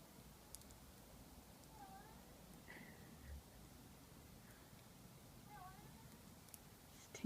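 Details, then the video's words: Household cat giving an odd, puzzling call: two brief curved meow-like sounds a few seconds apart, while a person softly calls to the cat, with light clicks and thumps around them. "Our cat makes a weird sound"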